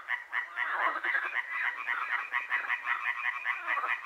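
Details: Frogs calling at night in Hłomcza, Sanok commune, Poland, part of frog and other creature concerts lasting from moonrise to moonset: a dense chorus of rapid, repeated pulsed croaks, many voices overlapping continuously without pause.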